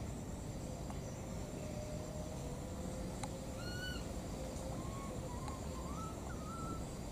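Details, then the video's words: Two wild baby monkeys keep searching and calling for their mother: thin whistled arching cries, first single and drawn-out, then a quick run of short rising-falling notes, over a steady hiss with a few sharp clicks. "these 2 p.o.o.r baby monkeys, they keep looking for and calling for their mother"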